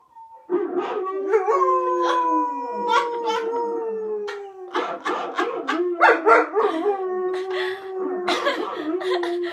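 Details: ['Howling by a white German Shepherd reacting to a howling dog on television: a long tone gliding slowly downward, then a wavering, lower held note, overlaid with rapid yips and sharp percussive clicks.']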